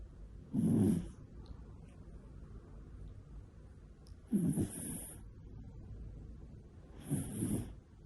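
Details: Pet cat named Koharu snoring in deep sleep, not waking whatever is done to her: three breathy snores about three seconds apart, each a rough low rasp with a hissy edge, soft hum between.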